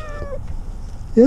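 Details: Cat stuck in a tree for six days, meowing during its rescue; a short harmonic meow near the start, then a brief louder cry at the end, with a person talking softly nearby.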